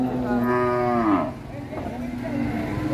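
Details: Sacrificial cow rampaging as it comes off a truck at Siyono Harjo market: one long, loud, harmonic moo holding steady, then dropping in pitch at its end after about a second, followed by crowd noise and brief human voices.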